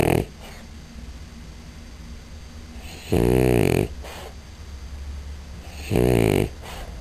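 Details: Female French Bulldog snoring indoors: two loud, rasping, buzzy snores about three seconds apart, each lasting over half a second, with quiet breathing between.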